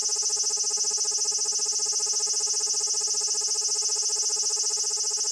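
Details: Large brown cicada singing while staying still, filmed with a compact digital camera: an unbroken, piercing buzzing drone at constant loudness, slightly distorted by its high pitch, no other sounds.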